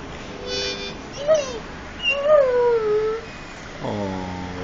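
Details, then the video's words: Frebie, a pet Irish Setter, 'singing': a long wavering howl that slides downward in pitch around the two-to-three second mark, preceded by a short rising yelp, with steady sustained tonal notes at the start and end. "Irish Setter Sings"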